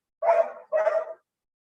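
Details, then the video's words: A German Shepherd down the hallway gives two quick, rough barks in close succession, heard indoors. "Can you hear that dog barking?"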